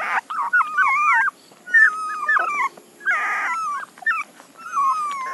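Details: Whining puppies give wobbling, high-pitched cries that warble up and down in pitch, in three or four bursts separated by short pauses.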